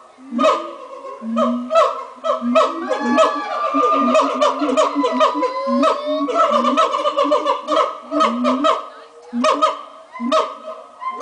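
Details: Morning chorus of monkeys at a zoo: many voices at once, sustained wailing hoots gliding up and down, mixed with fast chattering bursts that pulse roughly once a second, loud and continuous.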